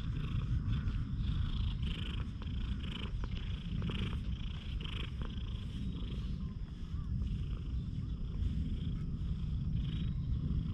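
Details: Continuous low purring from a very affectionate one-eyed stray cat, captured on a GoPro HERO8. Rhythmic, throaty vibration holds steady throughout, with brief soft scuffing sounds on top.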